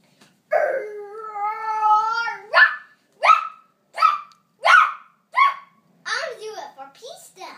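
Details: Dog asked to give a super bark: a drawn-out wavering howl-like note, then five short sharp barks about every 0.7 seconds, ending in a quicker tumble of yips, indoors in a small room.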